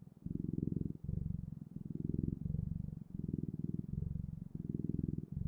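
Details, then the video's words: Close, loud purr of a cat, low and throbbing, pulsing in even breath cycles under a second long, with brief quiet gaps between them. "Purring Clouds: The Best, Ultimate, and Magical Sounds of Cat's Purring"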